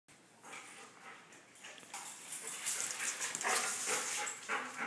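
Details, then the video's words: Big dog and little dog playing rough together; noisy, breathy growling bursts build up and grow louder and denser through the second half, with scuffling between them. "Big dog vs little dog"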